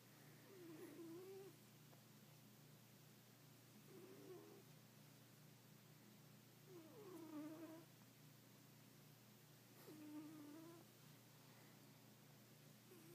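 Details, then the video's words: A rescue cat asleep and snoring, each breath carrying a short nasal, whistly, wavering tone that recurs about every three seconds over a steady low background hum. "Snoring cat"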